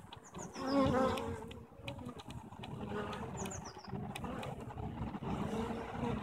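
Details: Bees at a hive on 21 April 2015, the day after eggs for three queens were placed. Low, steady droning hum with brief louder swells and high, descending bird chirps overhead.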